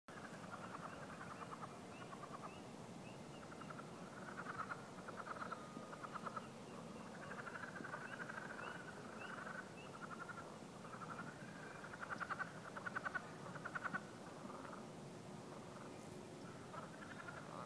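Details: Several leopard frogs calling at the Beaver Pond, Lewisville Lake, on a morning after a good rain: bursts of rapid, pulsed, chuckling notes come in repeated runs over a steady broad hiss of background noise.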